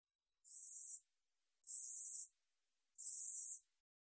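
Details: Ussuri katydid (우리여치) recorded by the National Institute of Biological Resources, 2020: three dry, buzzy, very high-pitched bursts, each about half a second long, spaced roughly 1.3 seconds apart against a silent background.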